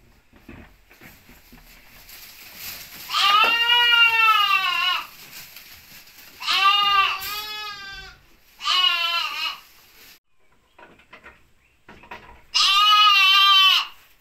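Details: Ripollès lambs recorded on 30 June 2022, bleating four times: long, nasal, wavering cries, each about one to two seconds, separated by short quiet gaps with faint background rustle.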